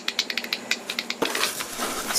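Bat echolocation calls, made audible by a detector, come through as a rapid run of dry ticks and clicks.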